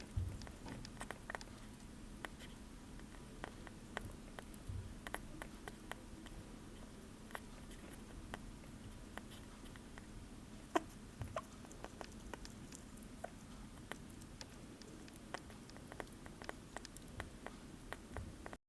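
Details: Blueberry meal of a sugar glider: a long run of faint, rapid clicking and nibbling ticks, with occasional sharper bites against a quiet, humming indoor background.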